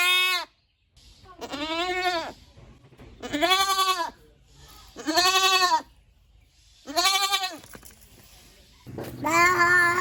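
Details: Goat bleating repeatedly, five wavering nasal cries roughly every two seconds, each about a second long, over a faint low rumble in the background.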